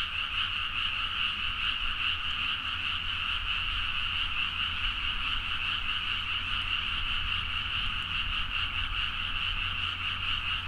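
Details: Frogs calling in a loud midnight chorus from rice paddies in Nagaoka, Niigata, Japan, recorded on a Zoom H4n; dense, continuous overlapping croaking forms a steady wall of sound with no pauses, plus a faint low rumble underneath.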